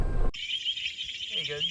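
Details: Painted reed frogs, including a mating pair in amplexus, call at night at a water hazard on a dark golf course in KwaZulu-Natal, South Africa, in summer: a dense, shrill, high-pitched chirping chorus after brief handling noise and a faint voice.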